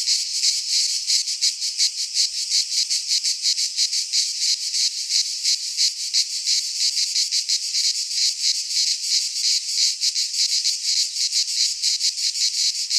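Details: Cicadas singing in midsummer in a Greek pine forest: a dense, continuous buzzing drone concentrated high in pitch, pulsing rapidly about three times per second, with no other sounds present.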